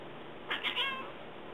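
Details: Domestic cat in a backyard using a distinctive bird voice toward birds: a quick run of three high, bright chirps in under half a second over a steady hiss.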